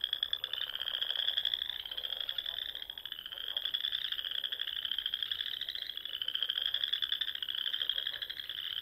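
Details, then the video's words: Spring frog chorus at dusk from ponds in the rolling Sandhills of Nebraska: successive high pulsed trills, each slowly rising over about two seconds, blending into a continuous ringing drone. "RELAXING SOUNDS OF FROGS"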